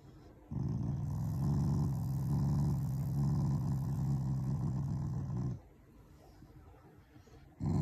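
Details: Affectionate, not angry, growl of a Shiba Inu, a loving family dog, toward its owners: a deep, rattling growl of about five seconds, then a quiet pause before a fresh growl starts.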